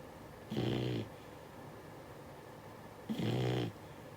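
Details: Six-month-old Beagle puppy asleep, snoring: two rasping, harmonic-rich snores, each lasting about half a second, roughly two and a half seconds apart, with quiet room hush between them.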